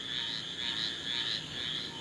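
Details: Frogs and crickets in high floodwater at Slidell, Louisiana, on August 30, 2021, after Hurricane Ida: a dense chorus of high, rasping trills swelling and fading about twice a second.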